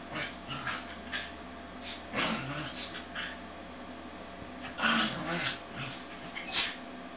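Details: Two corgis wrestle in play, a noisy red-and-white male and a sable female that bites down, giving short scattered growls, yips and whimpers, slowed to half speed so they sound deeper and drawn out.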